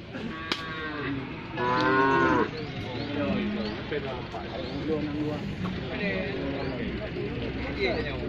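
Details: Injured cow whose leg was broken after being hit by a car; it struggles to rise once it lies down. A loud, drawn-out harmonic moo lasts under a second, amid low background murmur and scattered faint sounds.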